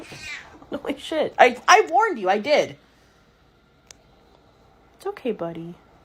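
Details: Pet cat producing a rapid run of wavering, yowling meows over about two seconds, then silence and a final short, falling meow; indoor setting with faint voices.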